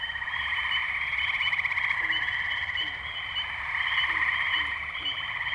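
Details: Springtime tree frog chorus from the Firestone Park wetlands in Columbiana, Ohio, May 6, 2023, Zoom H2n recorder: continuous buzzy pulsed trilling from many frogs at once, with a few brief deeper notes dropping in underneath.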